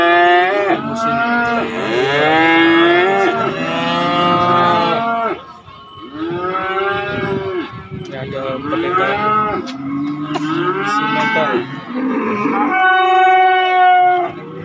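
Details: Market cattle, calves and young bulls, lowing almost nonstop. About half a dozen overlapping moos, some bending downward in pitch, run one after another with a short lull near the middle, then a final steady, clear moo.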